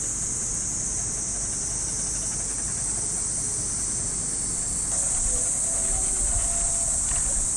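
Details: Unbroken shrill buzzing of cicadas in a Japanese park at early morning in summer, a constant high hiss; partway through, faint sustained tones like distant radio calisthenics music appear underneath, with soft footsteps.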